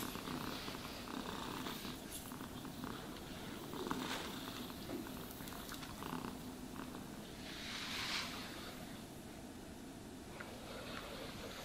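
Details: Pet cat being groomed purrs in a steady low rumble, joined by brushing rasps, including a longer, louder brushing sweep around the middle.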